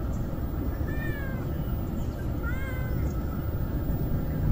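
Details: A young kitten clinging to its mother cat, living as a stray, meows twice in quick succession, each cry thin and wavering with a downward slur. A dull rumbling hum fills the background throughout.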